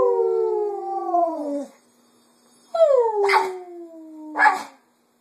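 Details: A female Cocker Spaniel "sings" in the afternoon, mimicking her owners' voices in long, smooth howls that slide downward in pitch.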